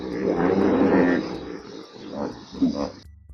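A hippopotamus gives a long, rough, throaty grunting burst, then a few shorter pulsed honks about a third of a second apart, with faint background hiss.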